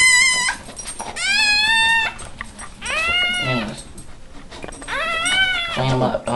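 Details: First-born American Pit Bull Terrier puppy, minutes after birth, indoors; high, squealing cries that rise and fall, repeated in drawn-out bursts of about a second, with people talking quietly in the background.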